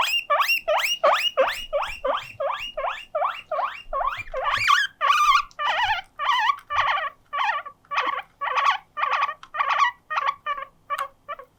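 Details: Attention-seeking pet guinea pig Mokohei summons housemates Moruhei and Moppu to play with a long burst of shrill rising wheeks, fast at first, then slowing into choppier, rougher squeals spaced about half a second apart.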